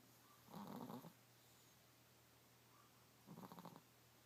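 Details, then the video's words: A sleeping Chihuahua snoring: two raspy, rhythmic snore bursts about three seconds apart, each half a second long with a pulsing low buzz and harmonics, over a quiet room hum. "Snoring Chico Chihuahua"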